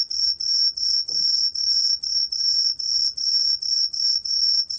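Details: Tree cricket called 청솔귀뚜라미, recorded in 2020 by Korea's National Institute of Biological Resources: piercing, even chirps about twice per second, each a bright sustained trill, with one small soft thump in the background.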